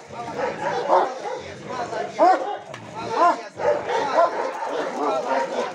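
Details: A Caucasian Shepherd Dog at a kennel, during protection work with a decoy handler, gives deep, forceful barks roughly once a second, with human shouting mixed in.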